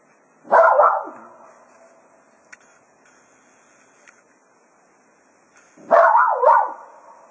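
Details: Cato, Jack Russell Terrier, bidding hounds farewell as a foxhunting day ends at Quail Roost: two separate loud barking yowls about five seconds apart, the second wavering, with faint clicks between.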